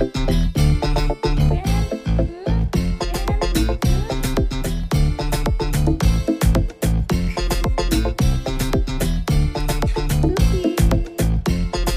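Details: Upbeat swing-funk music with a driving beat fills the recording, and no animal sounds are heard.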